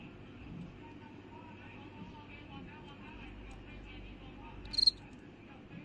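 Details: While it cleans its body, a cricket makes a single short, piercing high chirp toward the end of a quiet stretch with a faint continuous buzz underneath.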